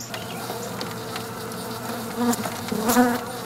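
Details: Honey bees crowd over comb scented with lemongrass oil inside a shipping box, making a steady, low droning buzz as many wings hum together.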